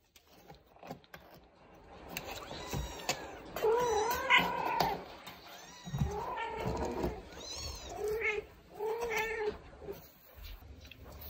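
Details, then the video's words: Traditional Siamese (Thai) mother cat indoors in the Netherlands talking to her meowing kitten over a new litter box; several drawn-out, wavering harmonic meows with rising and falling pitch, spaced irregularly, with soft rustling between. "Mother cat talking to her cute meowing kitten"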